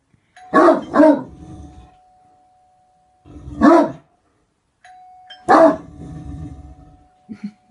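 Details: Great Dane barking: a quick double bark, then two single deep, rough barks spaced a few seconds apart, with a steady faint electrical tone humming underneath throughout.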